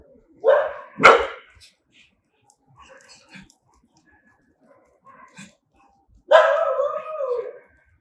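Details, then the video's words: Angry dog giving two loud, harsh barks close together, then faint scattered sounds, and a final drawn-out growling bark. "ANGRY DOGS BARKING"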